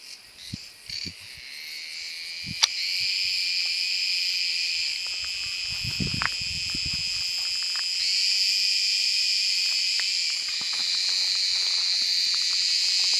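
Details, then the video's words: Cicada sp. calling in sunny summer woodland in Turkey's Mediterranean region; the continuous shrill buzz swells in after a quiet start and stays loud, with a brief low rustle or thump near the middle. "Ağustos Böceği sesi - Cicada voice"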